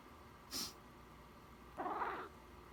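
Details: Domestic cat meowing in reaction to a person sniffling: a sharp sniff, then after a pause one short, slightly muffled meow lasting about half a second, in a quiet room.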